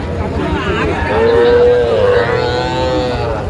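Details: Sahiwal bull calf in Gazipur, Bangladesh, offered to a farmer buying calves, dated 8/5/25: one long, steady, tonal moo holding level for about two seconds, with softer lowing around it and men talking faintly.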